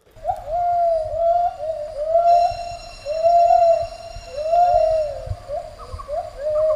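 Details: A male and female gibbon pair holding a territory together sing a morning duet of clear, swooping whistled hoots that rise and fall in a steady repeating rhythm.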